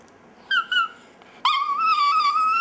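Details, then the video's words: Pet chihuahua Dexter "singing" in a room: two short clear whines, then a sustained steady howl held for over a second with rich overtones. "Dexter's Opera"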